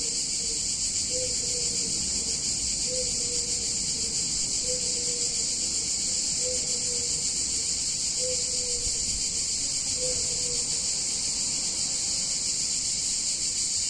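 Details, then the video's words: An intense, continuous high cicada chorus on a hot Italian summer day. A short, low whistled note sounds under it about every two seconds, roughly seven times. "Cicadas In Warm Summer Day In Italian Town"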